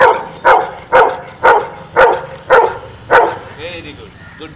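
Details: A series of six loud, regular dog barks, about two per second, given as a counted answer to a spoken math problem; a faint high tone and soft rustling follow the last bark.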